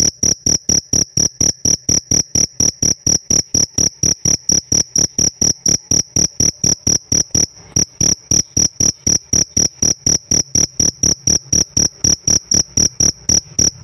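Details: Long run of chirps from a pet cricket: brisk, regular high ringing pulses, about three per second, with one brief pause near the middle before the even rhythm resumes.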